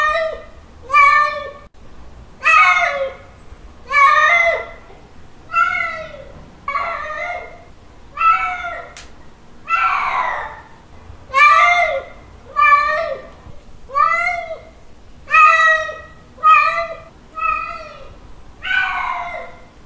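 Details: Male cat calling a female in a mating call: a steady series of harmonic meows, each rising then falling in an arch, repeated roughly every one and a half seconds in a quiet indoor room.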